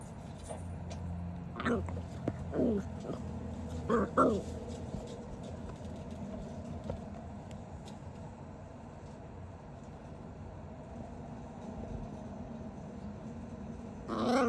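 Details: A dachshund puppy rolling around and playing gives a few brief, high whimpering squeaks over a steady low hum.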